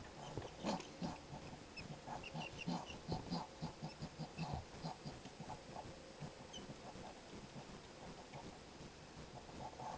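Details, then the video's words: Skunk at a feeding window, a strange voice of short grunting and snuffling sounds repeated in quick irregular bursts, with low rustling noise throughout. "THE STRANGE SOUND OF A SKUNK'S VOICE"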